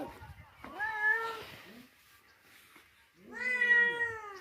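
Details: Stray kitten wandering in, being cared for and fed milk in Gujarat, India; two drawn-out, harmonic-rich meows, the second louder and slightly falling, separated by a quiet gap with faint background voices.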